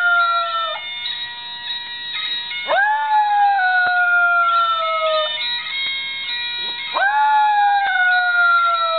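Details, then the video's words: Pet dog named Buddy howling along to a bagpipe ringtone: long sliding howls that jump up then slowly fall, two of them, over steady droning bagpipe music. "Buddy howling to bagpipes"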